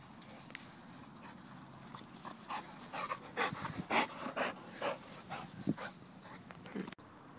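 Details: American Bulldog kept as a pet, recorded 17-11-2013: rapid, uneven panting, quick airy puffs roughly two per second that grow louder midway, then ease off, over a low constant background rumble.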